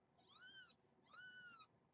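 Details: A kitten about a week old (born July 23, weighed July 31), one of a foster litter of four, gives two high, thin meows in protest at being handled during weighing.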